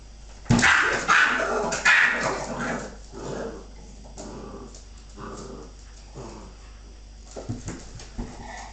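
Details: Female Bull Terrier play fighting with her pups, giving a burst of sharp barks and yips in the first two seconds, then softer scattered whimpers and grunts with snapping clicks near the end.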